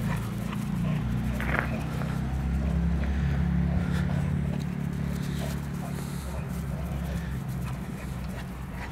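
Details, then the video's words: Two dogs at play, Zana the Cane Corso and Balu the Bullmastiff, growling in a long, low, continuous rumble that swells and eases, with a human voice and light scuffling. "Zana (Cane Corso) and Balu (Bullmastiff) playing"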